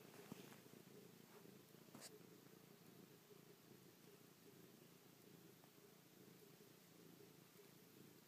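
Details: Chloe, an affectionate pet cat kissing and pawing her owner's face, gives a soft, quiet low purr beneath a hiss of background noise, with a few small clicks early on.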